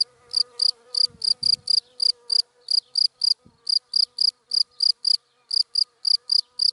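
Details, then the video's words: Cricket chirping in dry grass in the daytime: short, high, bright pulses at about two to three per second with brief gaps, plus a faint low steady hum and a few soft low knocks. "Sound of Cricket in Dry Grass in the Daytime"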